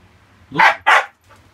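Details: Siberian Husky barking at a cockroach it spotted indoors: two quick, harsh barks in close succession, then a faint trailing sound, over a low steady household hum.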